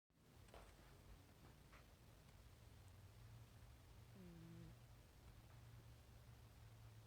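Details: A house cat named Dawa snoring while asleep indoors: a soft, low, steady rumble that swells gently with its breathing. A brief tonal squeak breaks in just past the middle. The room is otherwise quiet.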